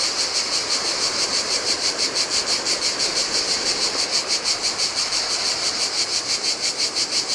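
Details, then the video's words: High, steady cicada chorus pulsing roughly three beats a second through the heat on a deserted beach of a Greek island, Adriatic Sea; lower rushing sound of waves splashing onto sand underneath. "Cicadas by the Sea - Ocean Waves & Cicada Sounds"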